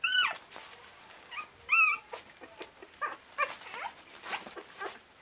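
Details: Border Terrier puppies aged 25 days from a breeding kennel, giving high, harmonic squeals and whines in short bursts, the loudest at the start and near two seconds, with softer yelps scattered between and light rustling behind.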